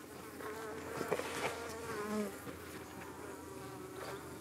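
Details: Many honey bees buzzing around their UK hive on an evening when flies kept attacking them, the bees fending off the attackers; a steady, wavering drone of overlapping wings with a few soft knocks and a short louder swell midway.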